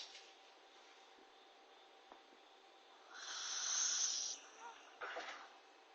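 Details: Sleeping after her bath, the Corgi NANA snores: quiet stretch, then one drawn-out hissing breath carrying a faint thin whistle, followed by a brief second puff of air.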